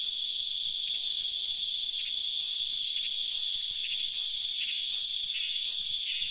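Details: A cicada on a tree gives a loud, steady, high-pitched buzzing drone with faint rhythmic pulses.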